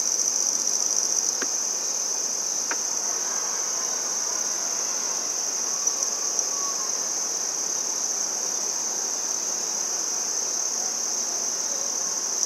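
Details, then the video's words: Handsome trig, also called red-headed bush cricket, singing in Maynard, Massachusetts, on 14 September 2019, filmed up close: a continuous, high, steady ringing trill that holds without a break for the whole stretch, with a couple of faint clicks early on. "Handsome Trig Singing"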